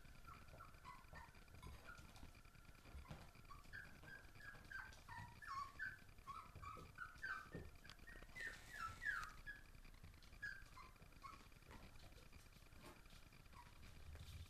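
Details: Basenji puppies indoors on an ordinary morning give a busy stream of thin, wavering whimpers and squeaks, several a second, tumbling irregularly over a low indoor rumble.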